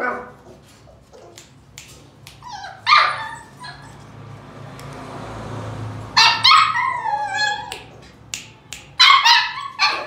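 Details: High-pitched yips and squeaky barks from a Siberian Husky pup come in bursts, a cluster near the start and denser runs of rapid bark-whines later, separated by a brief quieter hiss.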